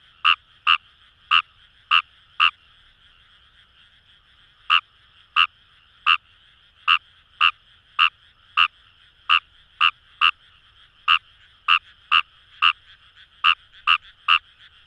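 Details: Kawamura's rice frog calling from paddy fields by the Kamo River in Itoshima, Fukuoka, Japan. A burst of rapid harsh croaks stops for two seconds, then steady single notes resume. A dense background chorus of more frogs hums throughout.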